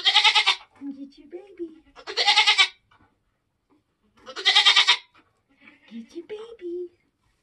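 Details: Bleating of a Nigerian Dwarf goat in labour on a homestead at kidding time. Three strong, raspy, quavering cries, each about half a second long, separated by low murmured human speech.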